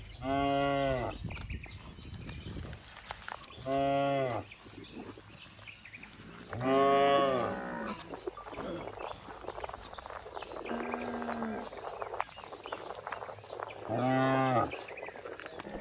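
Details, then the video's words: Herd of cattle running and jumping down a green hill in the countryside. Five deep, drawn-out moos follow one another roughly every three seconds, with scuffling and movement noise between them. "suara asli sapi"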